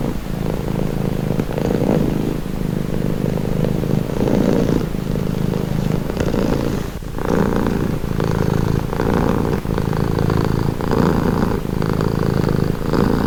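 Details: A pet cat purrs continuously as a calming sound, a low rumbling vibration with rhythmic inhale-exhale swells and a short quieter pause near the middle.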